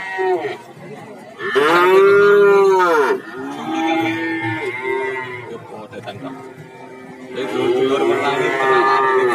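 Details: Cattle at the Warujayeng livestock market in Nganjuk, Indonesia, where many breeds are traded. A loud, arched moo from about 1.5 to 3 seconds, with quieter lowing before and after and market chatter behind.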